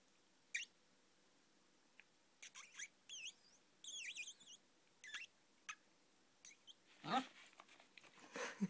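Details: Boxer. A Boxer puppy makes a run of odd, high-pitched noises: sharp squeaks and thin whines that wobble up and down. The bursts come irregularly in a quiet room, ending with a louder, rougher squeal.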